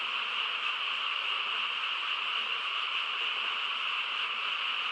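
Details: Frogs calling together in the quiet rural night, a thick seamless chorus that holds a constant level, individual calls lost in the shared din.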